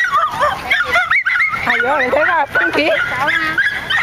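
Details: Nine-month-old miniature schnauzers in a park: dense mix of yips and whining, yelping barks from several dogs overlapping, with wavering whimper-like tones in the middle.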